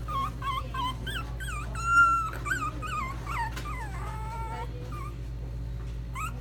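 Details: Dog at a pet shop in Nagano, Japan, giving many short high whimpers and yips, some rising and falling, over a steady low hum of machinery.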